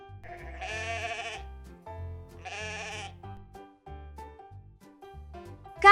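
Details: Goat (Capra hircus), bleat.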